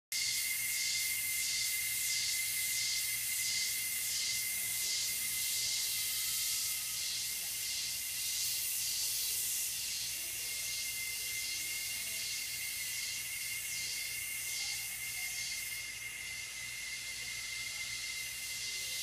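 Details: Cicadas at twilight after sunset in the coastal mountains of south-western Costa Rica. A bright, sizzling chorus throbs in regular waves more than once a second over a thin, steady whine.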